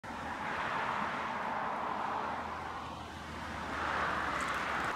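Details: Broad steady hiss of night forest ambience, swelling and easing slightly, with no animal call heard.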